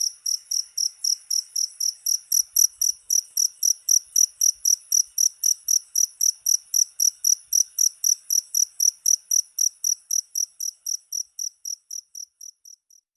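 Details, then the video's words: Cricket chirping presented as a rat repellent: rapid, regular high pulses about four a second, fading steadily quieter over the last few seconds. "SUARA JANGKRIK PENGUSIR TIKUS"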